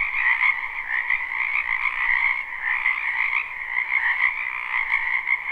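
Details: Spring wetland frogs in a live, unlooped recording form a thick continuous chorus. Overlapping croaks fill a steady mid band and a brighter higher band, with slight rhythmic flickers and no other clear sounds.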